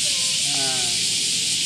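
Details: Semi, Japanese cicadas about the size of a D battery, keep up a harsh continuous buzz while being caught. The dry, steady drone fills the whole stretch, with background music humming faintly below.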